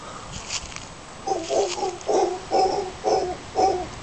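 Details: Howler monkeys calling near Casas Pelicano at Playa Junquillal, Costa Rica: after a quiet start, five throaty, rasping grunts come in a steady rhythm about every half second.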